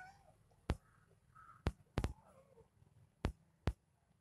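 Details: A pet kitten indoors gives a few soft, short meows, some sliding downward, between sharp, evenly spaced electronic drum beats from added background music.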